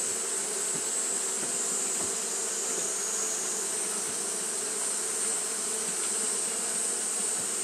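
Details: Japanese honey bees kept up fanning on a hot day, giving an even, low buzzing drone that never breaks, set against a persistent shrill background hiss.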